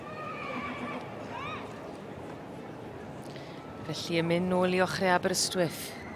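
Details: Welsh Cob youngstock at a show championship; a man speaks over a public address, then a loud, quavering whinny of about one and a half seconds breaks out, falling in pitch and shaking.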